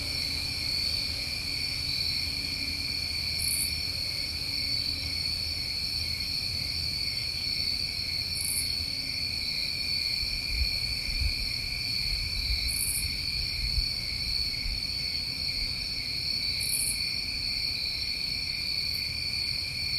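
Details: New England crickets on a summer night keep up an unbroken high trilling chorus, while a separate very high short chirp recurs about every four to five seconds above it.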